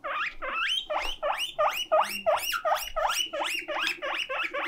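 A guinea pig gives a steady run of loud, whistled squeals, each sweeping sharply upward and repeating about three times a second. This insistent wheeking is its cry of loneliness when left on its own.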